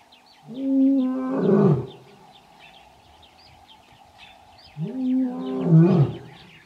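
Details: Male lion calling for his coalition of three in the Kgalagadi near Urikaruus, March 2018: two long, moaning roars that rise then drop into rough grunts, separated by a pause, over a steady background of chirping birds.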